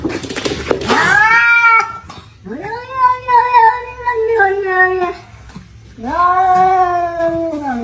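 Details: Cats fighting, one left injured: a noisy scuffle burst opens, then long, drawn-out wavering yowls that rise and sag, each lasting a couple of seconds, with a short break before a final harsh howl.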